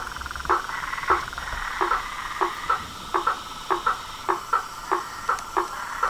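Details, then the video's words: Pond frogs, toads and tree frogs at dusk, calling in front of a house: a low trilled drone at first, then sharp, evenly spaced knocking croaks about every half second over a continuous high buzz. "SONS DA NATUREZA - A SINFONIA DOS SAPOS, RÃS E PERERECAS"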